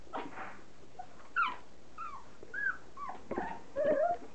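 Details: Standard poodle puppies, three and a half weeks old, at their first meal of kibble soaked in hot water; scattered high whimpers and squeaky yelps with bending, wavering tones, separated by short quiet gaps indoors.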